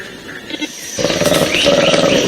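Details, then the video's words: A black-and-white colobus eagle-alarm call, a harsh, loud cry warning its group of an eagle attack, played back to a group of feeding chimpanzees in an experiment. "Dans un premier temps, les chimpanzés entendent le cri que pousse le colobe quand il veut prévenir ses congénères de l'attaque d'un aigle."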